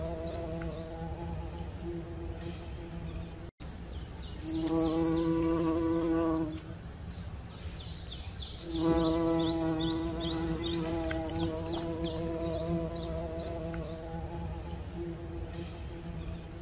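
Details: Bumblebee buzzing vigorously, in two loud droning bursts of about two seconds each. The second burst trails into a softer, wavering hum, over a constant low background drone. Repeated high bird chirps sound in the background.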